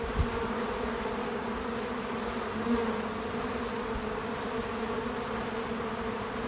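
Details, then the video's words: Bees gathered at a feeder on a small farm, recorded outdoors, create a soft continuous drone; one brief louder buzz passes near the middle amid the steady hum. "Relaxing Bees at the Feeder 🐝 | Natural Buzzing Sounds"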